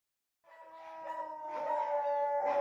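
A Siberian Husky lets out a long, tonal howl with a steady mid-range pitch that wobbles slightly. The voice grows louder as it goes on, with no other sounds intruding.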